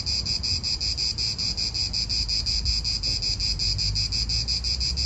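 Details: Cicadas calling in an Italian park, a loud, bright buzz pulsing quickly and regularly, steady over five seconds, with low wind murmur beneath.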